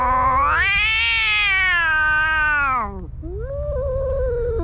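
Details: During a fight between two cats, one long shrill wail rises and holds high before sliding down, followed by a quieter, lower yowl.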